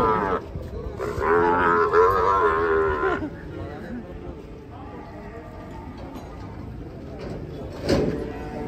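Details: Cattle being unloaded from a truck give a loud, drawn-out moo with a rich harmonic stack lasting about two seconds, followed by quieter background noise, a brief sharp burst near the end, and faint music.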